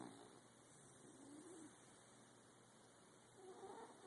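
A corgi snores softly, with low, rasping breaths repeating about every two seconds.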